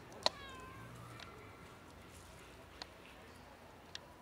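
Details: Ginger cat asking for food after coming out of bushes: one clear, slightly descending meow at the start, then only faint background hiss and a couple of sharp clicks.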